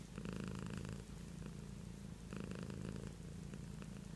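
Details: Beatrice, a domestic cat, gives a close, rumbling purr; two stronger breathing surges of gravelly buzz frame softer steady droning, with no background noise.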